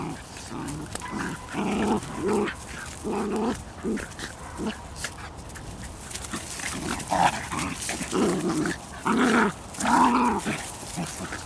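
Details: Bedlington Terriers from the Airy Step kennel, the mother Leya with her puppies out on a walk, giving short rough growling and yelping bursts in an uneven series, roughly one every second, with some breathy noise between.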